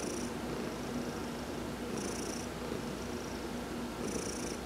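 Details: Purring from Heidi, an adopted house cat, massaged during a sun bath on November 19, 2020; a grainy low drone with a brief hissing breath every two seconds, even and calm.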